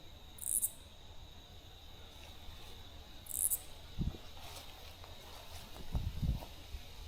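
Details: Common true katydid (Pterophylla camellifolia) song: two high, raspy, very loud bursts about three seconds apart with the rhythm of "katy-did", over a steady insect drone and footsteps, in late-summer old-growth Backus Woods, southern Ontario.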